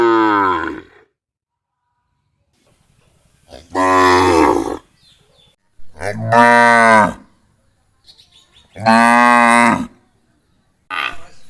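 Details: Cattle mooing: a short moo, then three long, loud, harmonic-rich moos of about one second each, spaced roughly two to three seconds apart, with a brief call at the end and silence between.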